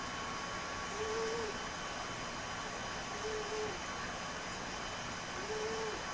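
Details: Cocoa, a fat black pet cat, snoring loudly: three thin, whistly tones with a steady pitch, repeating about every two seconds over a constant background hum.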